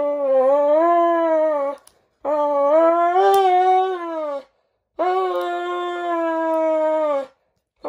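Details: A Dobermann named Roman makes a dramatic fuss while having his nails clipped. Three sustained, steady howls, each about two seconds long, with rich harmonics and brief silences between them.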